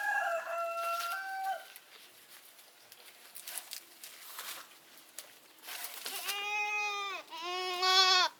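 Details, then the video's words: Goat bleating twice near the end, two loud, wavering, nasal cries about a second long each, one right after the other. The clip opens with a stepped, crowing call from another farm animal, then a stretch of quiet rustling. "Goat Sounds & Goat video, The Sound A Goat Makes"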